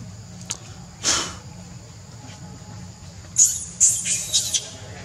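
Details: Angry monkey screaming, with Rainbow carrying baby monkey Leo and Libby nearby: a quiet stretch with one faint burst, then a cluster of harsh, very high shrieks in quick succession near the end.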